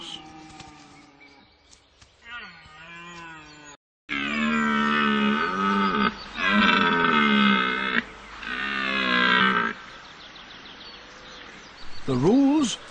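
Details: A red deer stag gives deep, drawn-out roars in bursts during the autumn rut in broadleaf forest of eastern Europe, as days shorten.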